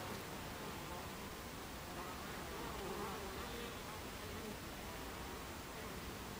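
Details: Buckfast bees at a beehive entrance on 26 July 2013 at 14:30, a dense steady buzzing drone with faint humming tones of single bees drifting up and down through the mass of sound.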